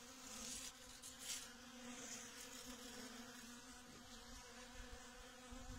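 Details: Honey bees working Datura blossoms while pollinating them; a continuous droning buzz stays on one low tone with layered overtones, swelling slightly as insects pass near, over light background hiss.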